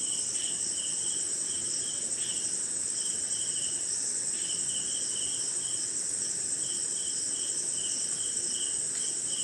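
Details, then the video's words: On a wet night in India, crickets keep up a dense unbroken shrill buzz, while a lower chirp stutters on and off in short bursts. Faint clicks appear now and then. "Cricket & Swamp! Forest Sound"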